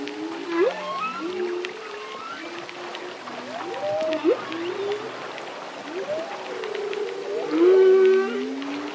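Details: Solo male humpback whale singing through its breathing cycle: moaning tones that sweep upward and glide down, with several long level notes and a brighter rising whoop near the end, over a steady underwater hiss.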